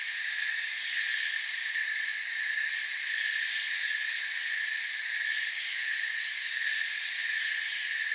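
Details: Forest crickets in full chorus, many callers overlapping into a continuous shrill hum with several stacked high tones, a faint fast flutter in the highest band, even volume and nothing else audible.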